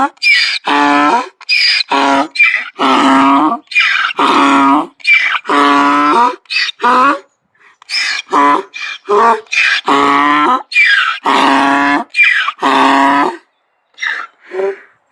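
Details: Donkey braying in a long, loud series: harmonic-rich honks alternate with breathier gasps in an uneven rhythm of roughly forty-four bursts a minute, with short pauses between phrases and no other sounds.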